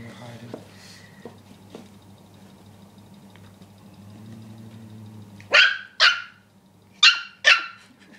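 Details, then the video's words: Rookie, a dog worked up over a pig, gives four sharp barks in two quick pairs near the end after a long quiet stretch with a low steady hum. "Rookie + The Pig"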